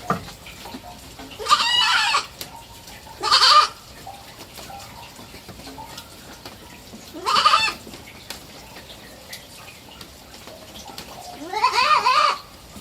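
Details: Young goat kid, three months old and kept as a pet, bleating four times at irregular intervals, the cries wavering and sliding upward, softer and more distant-sounding, with faint clicks and rustles between calls.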